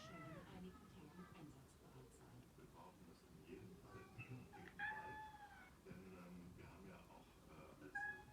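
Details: Pet cat calling in its typical high soprano voice, urging a second cat to play fight; brief bent meows, some rising then falling, repeated irregularly over low background speech.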